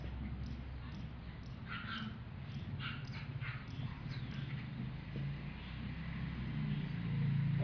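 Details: A male English bulldog puppy gives a few short, high whimpering yips over a steady low rumble.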